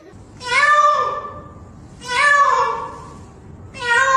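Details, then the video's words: A talkative cat meowing in a compilation about cats and a storm: three long, drawn-out meows, each swelling then fading, spaced about one and a half seconds apart, indoors with little background noise. "Talkative Cats & Meowing Kittens | Cats vs The Storm"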